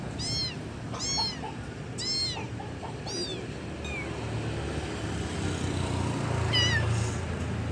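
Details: Loud calls of a kitten calling for its mother: a quick run of four arched, high-pitched meows in the first three seconds, then a faint falling mew and one last cry near the end, with a low rumbling background.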